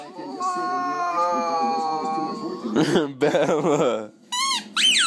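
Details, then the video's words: Puppy learning to howl indoors: a long drawn, slightly falling tonal howl over about two and a half seconds, then short squeaky rising yelps, with a person's voice mixed in. "Cute Puppies Howling Compilation"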